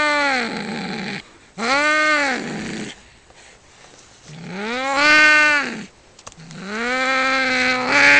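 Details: During a cat fight, four loud arched wails swell and fade, broken by near-silent pauses with faint scuffing.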